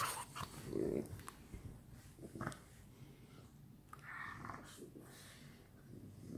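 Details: French Bulldogs playing together at night; a short throaty growl near the start, then scattered soft grunts, snuffles and scuffling against a quiet room background.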